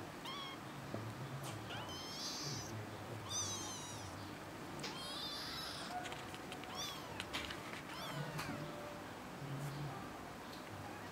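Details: Kitten calling indoors with a run of repeated high meows, some rising and some sliding down, spaced irregularly across the stretch, over faint room noise and rustling.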